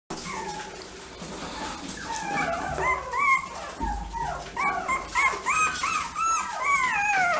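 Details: White female Chihuahua puppy giving a rapid series of high, rising and falling whimpering yips, many short overlapping cries climbing and dropping in pitch, with steady indoor background hum.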